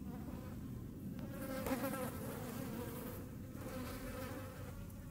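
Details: Hornets making room, a dense, continuous droning buzz from several overlapping wings with a steady low pitch and rich harmonics, swelling slightly around the middle and holding without a break to the end.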